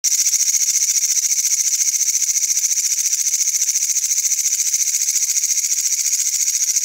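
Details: A katydid in Wynaad gives a continuous, high, buzzy rasping call, pulsing rapidly and evenly throughout.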